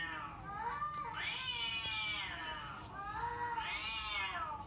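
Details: Domestic cat meowing indoors, the sound a cat is tested against: two long, loud meows, each rising then falling in a nasal arc, the second following about two seconds after the first.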